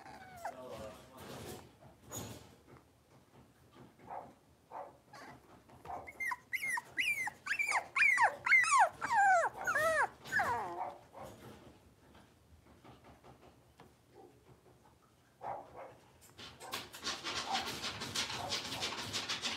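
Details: Young blenheim Cavalier King Charles Spaniel puppies, five in the litter, playing in a home puppy pen: scattered soft sounds, then a burst of sharp, high, falling yips repeated rapidly for about five seconds, followed by rustling noise.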